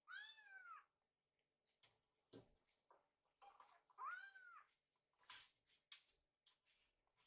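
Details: Rescued kittens waiting for food in a kitchen; two clear drawn-out meows stand above a background of kitchen clatter and rustling.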